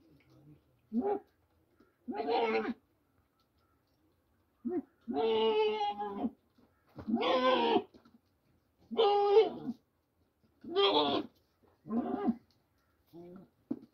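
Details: On a farm in Pakistan, two goats fight over eating corn, and one screams in loud, harsh, wavering bleats, each a second or more long, separated by short pauses.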